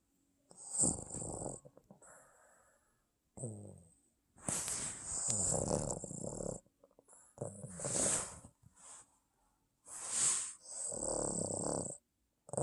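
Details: A Boston Terrier snores in rough, rasping bursts with breathy snorts between them while asleep.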